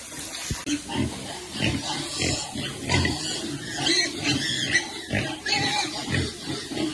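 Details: Pig with piglets at feeding time: a steady stream of rough, harsh grunts and squeals in close, overlapping bursts about every half second, with faint human voices underneath.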